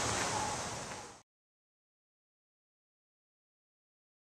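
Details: Rushing water sound like a waterfall or surf for just over a second, then silence, with no animal voice heard.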